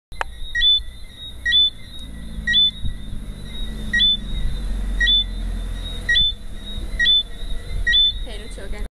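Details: A Lesser Antillean whistling frog in Barbados gives short, high, piercing whistles, repeated about once a second.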